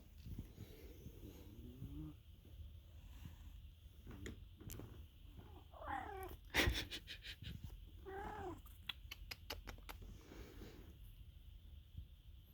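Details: Pet cat named Diva Princess, described as sleeping and snoring loudly in a home spa, gives drawn-out, wavering meow-like cries near two, six and eight seconds over a low steady hum, with sharp clicking ticks between six and ten seconds.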